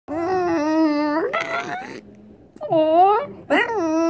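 A French Bulldog gives drawn-out, revving whines that rise and fall like an engine.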